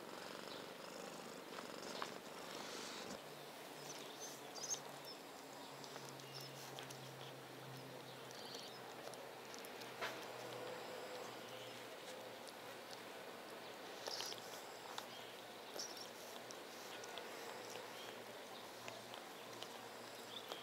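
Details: Domestic cats resting on a cozy weekday afternoon indoors; a soft, steady low purr hums through the middle of the recording beneath faint background rustling and hiss.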